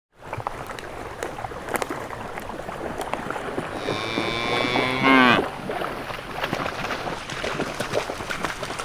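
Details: Cows lined up in a green pasture, searching for food, give one drawn-out, harmonic moo lasting just over a second and ending with a sharp fall, over steady crackling outdoor background noise.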